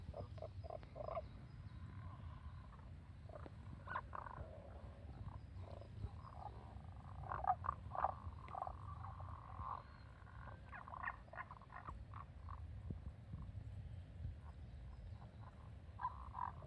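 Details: Strange sounds in the mountains, possibly Tago's brown frogs croaking, are short, muffled croaks in quick clusters over a steady low rumble.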